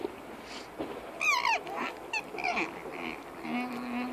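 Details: Diego the alpaca, protesting about sharing, gives a loud wavering screech that trembles up and down for about a third of a second, followed by softer, shorter cries and a low steady hum in the background.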